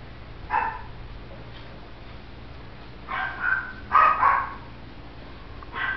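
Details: Kennel-raised male Shih Tzu puppy born in November 2011 barking in short, high yaps: one alone, a pair, then a quick double bark, and a last yap at the end, over a quiet background.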